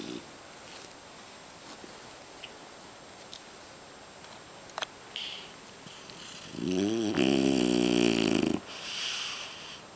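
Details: A French Bulldog napping indoors under a kotatsu, snoring loudly while rolling over; breath puffs from its loose jowls between deep rasping snores, with a loud burst of snoring near the end after quieter breathing.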